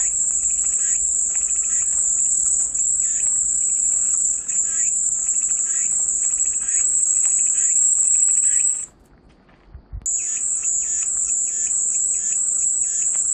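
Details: Calming cicada chorus: an intense high buzzing drone that cuts out abruptly for about a second near the end, then resumes, with faint pulsed chirps in the background.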